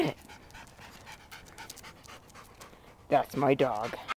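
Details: Pet dog trying to eat a basketball, panting in soft, breathy, noisy puffs repeated about three times a second for three seconds, followed by loud human speech over the last second.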